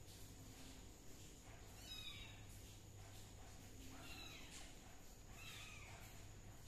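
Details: Kitten being treated for a fungal skin problem with leaf juice gives soft, arching meows, two drawn-out rising-then-falling mews near the end after a brief high squeak, over a steady low background hum.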